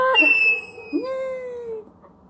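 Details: Weimaraner dog wanting to go out, recorded October 27, 2022: two drawn-out nasal whines, the first wavering, the second swelling and sliding slowly downward for nearly a second before fading.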